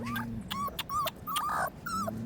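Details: Korean Jindo puppies kept with a surrogate mother, including a black-and-tan female pup; thin high whimpers, several short level or slightly falling whines in quick succession, with a person softly calling in the background.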